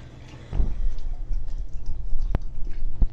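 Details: Rousseau, a Greater Swiss Mountain Dog, eating a soup of turkey, carrots, cauliflower, red bell pepper, coconut oil, ground flax seed and water; a sudden wet slurp, then low, uneven chewing and lapping with a sharp click.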